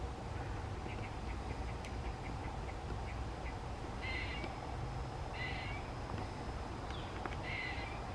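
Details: John the squirrel communicating: a run of soft, quick ticking notes, then three louder buzzy, nasal bursts spaced about one and a half seconds apart, with a constant low droning hum behind.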